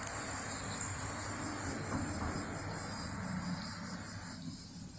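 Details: Cicadas calling in a continuous, dense buzzing drone with a shimmering high band, steady throughout and fading slightly near the end; a low rumble of background noise underneath.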